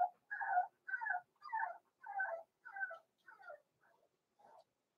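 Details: Young blenheim Cavalier King Charles Spaniel pups Roman and Blue, born November 14, 2022, kept in an indoor puppy pen. A steady series of about eight whining, falling cries, roughly two per second, fades gradually toward the end.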